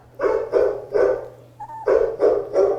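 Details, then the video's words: Barking dogs from a playlist played back to mini Australian Labradoodle puppies for desensitization, starting soft and growing louder; six short, rough barks in quick pairs, with a brief faint tone between them. "and what we're going to do next is I'm going to have Reynold go over and turn on the playlist we have of barking dogs"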